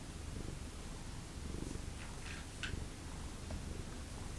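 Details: Low, continuous purring from a pet cat of a family of formerly feral cats, with a few faint higher scrapes and rustles over the rumble.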